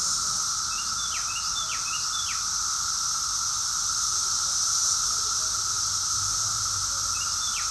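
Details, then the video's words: Continuous cicada chorus from Rockville, Maryland, USA, June 2021: a constant high-pitched wash of buzzing plus a lower sustained tone, with a brief burst of sharp falling bird chirps early and one more near the end. "Cicadas song || Cicada's chorus song"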